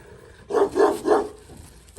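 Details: Turkish shepherd dog barking: three full, resonant barks in quick succession about a third of a second apart, then a fourth bark starting at the very end, with quiet background between them.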